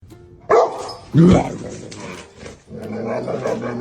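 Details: A dog gives two short, sharp barks about half a second apart, followed by a person talking.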